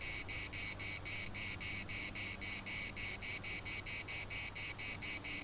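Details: At the municipal park in Larnaca, Cyprus, cicadas keep up a shrill pulsing buzz, evenly beaten at about four pulses a second, over quiet low-pitched background noise.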